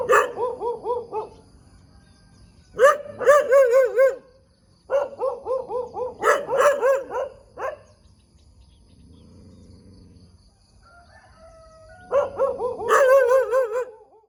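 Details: Dog in the middle of a road in the morning, sounding off in repeated bursts of quavering, yelping barks with a wobbling pitch, separated by quiet gaps with faint low background noise.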